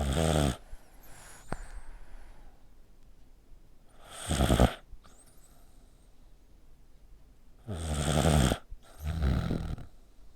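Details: Pet dog snoring loudly indoors like a person, with a tightly squeezed neck; deep rasping snores with noisy breaths, three long snore bursts spaced several seconds apart with quiet breathing between.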